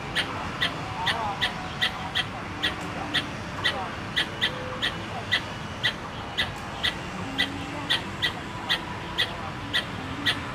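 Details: In Tainan Park, Taiwan, on 13 October 2015, a squirrel gives a long run of short, bright chip notes, roughly two per second, with distant chatter and a low rumble behind.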